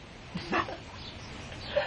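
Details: Minty, a pet dog, gives a single sudden sneeze: a short, sharp, breathy burst of noise, preceded by a faint snuffle and set against quiet indoor room noise.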